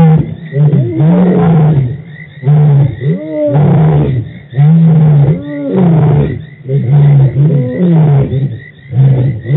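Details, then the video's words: Lions at Djuma Game Reserve, March 24, 2018, giving a loud roaring sequence of deep, sustained moaning grunts, each about a second long, separated by brief pauses and repeated roughly every second and a half. "The Lions are Roaring at Djuma"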